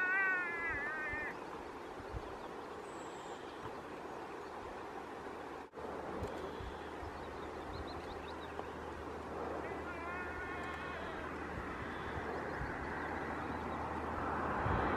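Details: Muskox herd along the E6 highway in Norway's Dovrefjell area, July 2, 2015, where a lost calf cries and rejoins its mother: a wavering bleating cry opens, another follows about ten seconds later, amid human voices and a constant low rumble.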